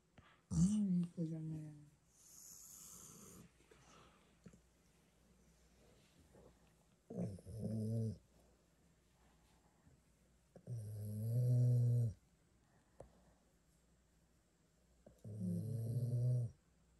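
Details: Labrador Retrievers, two dogs aged five years and six months, lounging together in a bedroom; four low, harmonic groaning moans, each about a second long, spaced through quiet stretches, with a faint high tone above.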